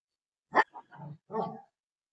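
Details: Golden Retriever playing with its owner: one sharp, loud bark, then a few softer short vocal sounds and a low murmur.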